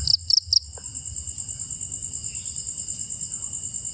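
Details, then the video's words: At night, crickets give three quick, loud chirps, then settle into a steady, high, ringing trill from several callers, over a faint low rumble, with birds also present. "The Sound of Crickets and Birds at Night"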